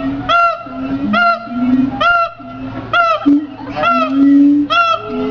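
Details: A siamang gives bright, ringing notes in quick bursts, each one bending upward, with a lower, wavering hum running beneath them and getting stronger toward the end.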